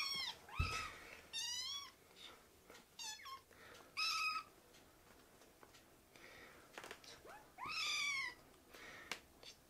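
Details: Young rescued kittens climbing onto a man's leg indoors; repeated high meows, some rising sharply and others wavering downward, roughly six calls in under ten seconds, with a thump and light scuffling between them.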